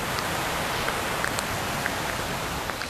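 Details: A large cicada directly overhead at a forest resort in Lembang, Indonesia gives a very loud, steady buzzing drone, hissing and unbroken like heavy rain, before flying off.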